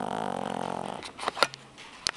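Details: A two-month-old pug puppy snores with a rattling, fluttering rasp, followed by a few soft clicks and rustles.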